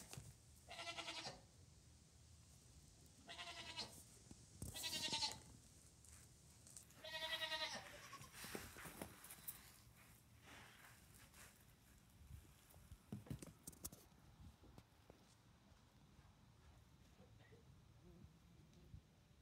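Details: Nigerian Dwarf goats in a barn with a newborn kid: four bleats in the first eight seconds, shaky and nasal, then only rustling and scattered clicks in the straw-like bedding.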